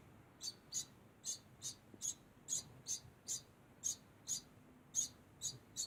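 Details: A degu keeps up a constant sound of sharp, high-pitched chirps, about thirteen evenly spaced in under six seconds, over a quiet, faintly humming room.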